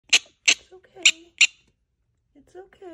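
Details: A female prairie dog gives her warning call on seeing a hawk or eagle: four sharp, high chirping yips about half a second apart, then quiet. Faint low squeaks and a soft human voice follow.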